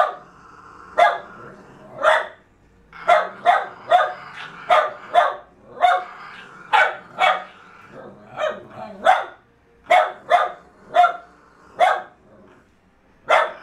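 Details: Jack Russell Terriers tussling over a fallow deer's leg; a dense run of short, sharp barks, some softer and overlapping, irregular spacing across the whole stretch.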